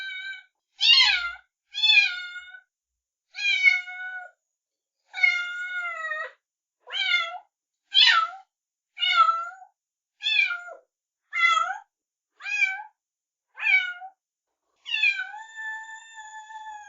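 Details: Persistent kitten mewing: around fifteen high, quavering meows at nearly one per second, ending in a longer, steady drawn-out cry, with no background noise.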